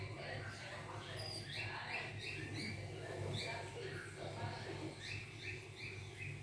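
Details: Repeated high, thin mews from a hungry kitten, bunched in quick runs with brief pauses, over a low humming background.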